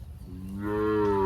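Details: Sahiwal bull on a Bangladeshi farm in Birampur, Dinajpur: a single rich, steady moo that swells in loudness over about a second, with a slightly rising tone and strong harmonics, low background noise beneath.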